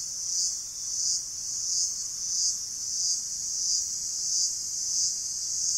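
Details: Cicadas in gigantic trees on the lower slopes of Rinjani give a loud, high, hissing buzz that swells and fades in pulses a little faster than one per second.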